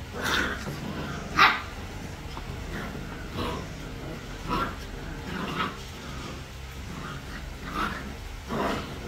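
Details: Three-week-old puppies at play, giving scattered short yips and low growly grunts every second or two against a soft, steady background hiss.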